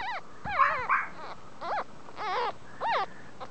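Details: Chihuahua in a Kobe, Japan pet shop whining repeatedly: five or six short, high, sliding whimpers, some curving down in pitch, separated by brief pauses.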